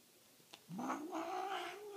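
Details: Male house cat on a blanket sprayed with catnip spray, giving one drawn-out, wavering yowl that rises and then holds steady, after a brief click.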